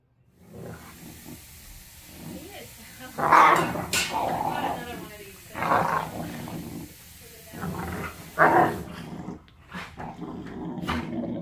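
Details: A pit bull puppy still with baby teeth growls and snarls in bursts while play-wrestling with an older, tolerant rescue pit bull, with a person talking in the background.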